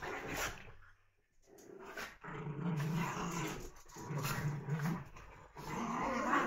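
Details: Puppies wrestling in play let out several long, low growling rumbles broken by short silences, accompanied by sharp scuffing and tapping noises.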